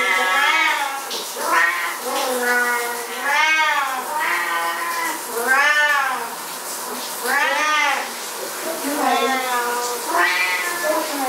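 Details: Two Siamese house cats crying out while their owner showers; a string of loud, bowed, drawn-out meows about every second and a half, with short gaps between calls.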